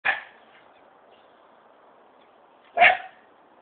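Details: Territorial dog guarding its line, giving two sharp single barks about three seconds apart, each loud and brief, with near silence between them.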